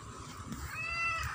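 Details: Clever domestic cat meowing once, a drawn-out harmonic cry rising then falling in the second half, over quiet background hum.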